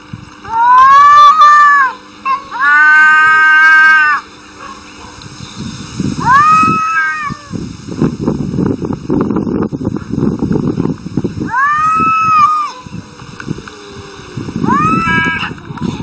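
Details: Arguing domestic cats trading loud, arched meowing yowls, two long wails early then shorter rising-falling cries around six, twelve and fifteen seconds, separated by rustling scuffle noise.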